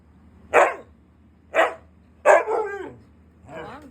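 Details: Siberian husky, said to get angry when not given treats, gives three sharp barks about a second apart, the last followed by a brief whine, then a softer fading bark near the end.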